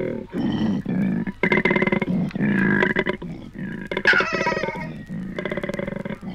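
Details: Koalas courting in Australia, from a 1968 field recording on vinyl: choppy, rasping, low pulsed grunts in uneven bursts, with a brief higher squealing note partway through.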